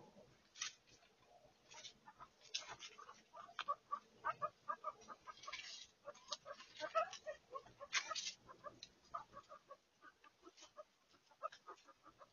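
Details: Guinea pigs active at night: a busy run of short, clucking chut notes, stacked in bright mid-pitched bands and repeating irregularly at a quick pace, with dry rustling and scratchy clicks between them throughout.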